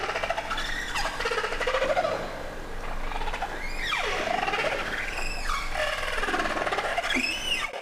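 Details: Humpback whale named Twain off the coast of Alaska in 2023, answering a contact call, meaning roughly 'I am here', played through an underwater speaker. Swooping tonal moans rise and fall, several in sequence, over a constant hiss.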